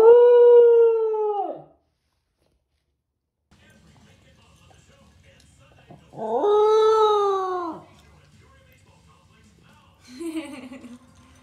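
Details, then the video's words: Pembroke Welsh Corgi, a female pet dog in Phoenix, Arizona, howling while eating: a long level 'awoo' of about 1.5 seconds, a pause, then a second rising-then-steady howl, followed by a shorter quieter yelp. "Corgi Howling While Eating | A Compilation of Food Awoos"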